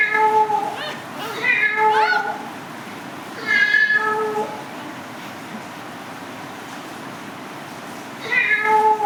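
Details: A cat calls in a quick pair of meows, then a single longer one, then a pause of several quiet seconds before another meow begins; faint background voices.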